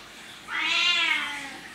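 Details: Single sustained meow from a domestic cat, loud and tonal with stacked harmonics, holding steady for about a second before tapering off indoors.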